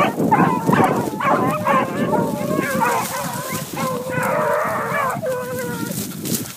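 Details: Several young dogs on the trail of a cottontail, their long wavering howls and bays overlapping into a steady chorus, one prolonged bawl standing out near the end.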